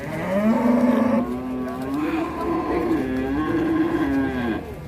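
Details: Oversized cow, rampaging after coming down from a truck on an Indonesian cattle farm, gives a long, loud, unbroken moo that starts strong, wavers gently in pitch and holds for about four seconds.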